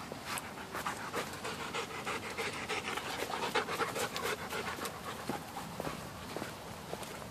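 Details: Dogs, a Blue Bay Shepherd and a German Shepherd, on an early-morning hike through Mississippi River Regional Park on a hot, sticky day. Rapid breathy panting pulses, about four per second, come with footsteps and rustling on the trail.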